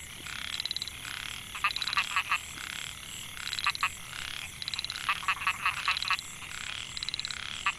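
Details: Male Microhyla pulchra calling from a rice field at Mae Hia, Chiang Mai, Thailand, recorded 2014, to draw females. Short ratcheting bursts of high buzzy pulses, clusters of clicky notes overlapping, over constant high-pitched background hiss.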